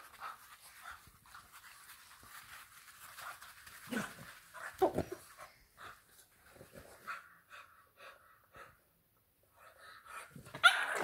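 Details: Panting English Bulldog puppy in a Kenyan household in Nairobi: soft, airy rhythmic breaths, steady at first, then a couple of louder snuffling breaths, a short pause, and a brief scraping noise at the end.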